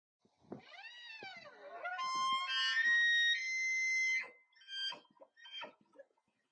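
A deer gives a rising, moaning call that climbs into a long, shrill whistle, then short grunts.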